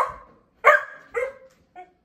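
A Labrador Retriever puppy gives three short, rising yappy barks, demanding its supper.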